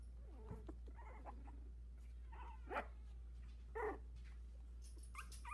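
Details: Sixteen-day-old Havanese puppies, four littermates first walking in their whelping box; scattered thin squeaks, short wavering whines and a few sharper yelps at irregular intervals over a constant low hum.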